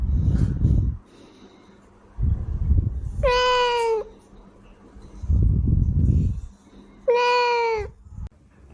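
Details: House cat meowing twice, each call clear and level before dropping at the end, spaced about four seconds apart, with bursts of low rumbling noise between the calls.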